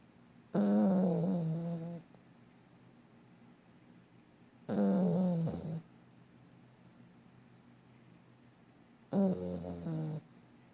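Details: Sleeping dog snoring as it dreams, giving three moaning, voiced snores of roughly one to one and a half seconds, spaced about four seconds apart, with near silence in between.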